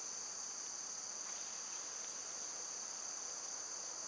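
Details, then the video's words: Summer insect sound from cicada season: a bright, narrow, continuous high whine held at a steady pitch, with a softer broad hiss underneath and one faint tick midway. "Cicada sounds"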